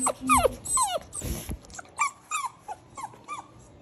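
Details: Cane Corso puppy objecting to kennel training, giving short falling whimpers and whines in a quick series, growing softer toward the end, with faint music and speech behind.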